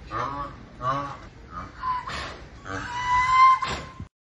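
An Indian rhinoceros gives nasal, bleating honks broken by harsh, breathy snorts.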